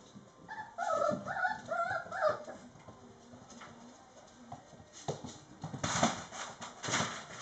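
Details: Mastiff puppies, four and a half weeks old, give a run of short, wavering high whimpers lasting about a second and a half, followed by shuffling, scratching and clattering noises.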